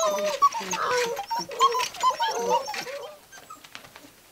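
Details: Gordon Setter puppies at six weeks, romping indoors in a living room; short high whimpers and squeaky cries from several pups in quick succession, fading toward the end of the clip.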